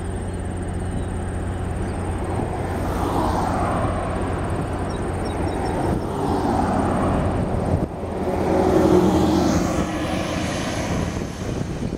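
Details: A steady low rumble of a passing aircraft and distant traffic fills the recording, with no animal calls heard.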